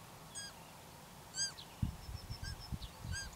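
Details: Roe deer fawn calling for its mother: three short high squeaky calls with a bent, falling pitch, about a second apart, over wind rumble and thin chirping birdsong in the background.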